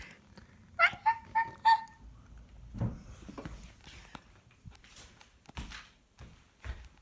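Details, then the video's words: Cat making funny noises indoors: four short, loud, tonal chirps in quick succession, each steady in pitch, then quieter thumps and rustling in a small room. "Cat makes funny noises"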